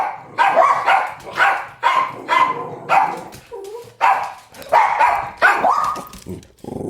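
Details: Two dogs bark at another dog, recorded 31 January 2017: a rapid series of loud, harsh barks roughly every half second, overlapping and echoing, with one short whine near the end.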